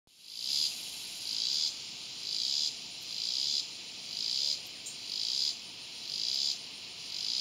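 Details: Swamp cicada giving a loud, high buzzing call that swells and fades in regular pulses roughly once per second, about seven pulses in all, over a faint steady hiss.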